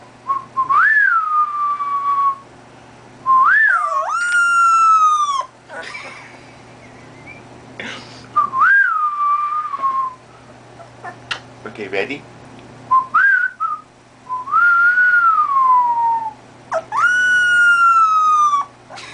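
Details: Two-and-a-half-week-old male golden retriever puppy answering human whistles with howls. Clear whistled phrases alternate with several long, strained, high howls rich in overtones, some sliding down slowly; sounds come in bursts separated by short pauses.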